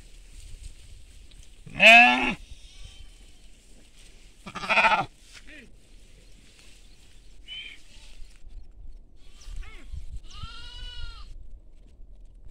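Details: Farmland flock of sheep with lambs calling: two strong wavering bleats about three seconds apart, followed by a short higher cry and a fainter quavering bleat, over low rustling background.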